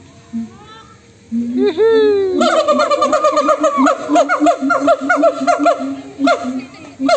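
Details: Monkeys taking turns in a rowdy call-and-response, starting with a few isolated swooping notes, then breaking into fast, rhythmic repeated hooting cries, roughly three per second, several voices together.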